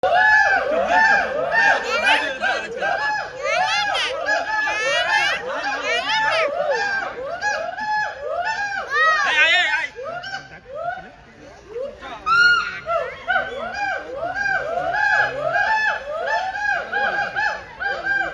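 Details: A gibbon at Alipore Zoo, Kolkata, gives a long run of rapid, rising-and-falling whooping hoots.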